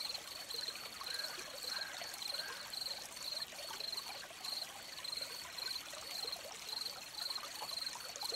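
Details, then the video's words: Crickets calling by a stream, steady bright chirps repeating about twice a second in an even train, set against constant broadband trickling and splashing water that fills the background. "Crickets by the Stream"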